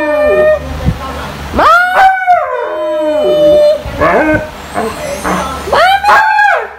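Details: Siberian Husky, a female indoors, calling her owner to be let out: drawn-out, sliding howl-whines that rise and fall in pitch, several separate vocal phrases with short pauses between, strongly harmonic and voice-like.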